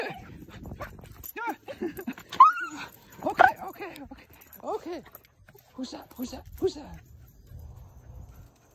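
A Miniature Schnauzer greets its owner with excited, arching whines and yips, with a person talking and laughing.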